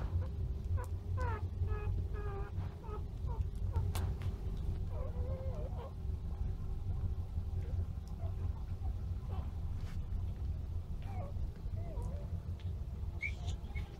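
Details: Nursing Standard Poodle puppies, roughly three days old. Clusters of quick, high wavering squeaks come early, then scattered fainter whines over a constant low hum and rumble.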